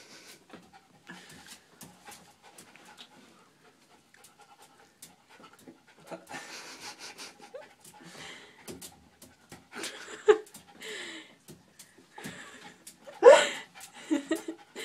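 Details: Bart, a Jack Russell Terrier, excited about his toy ball near a bathtub but reluctant to climb in; soft rapid panting and sniffing with small whimpery squeaks, rising toward the end with a brief louder yelp-like sound.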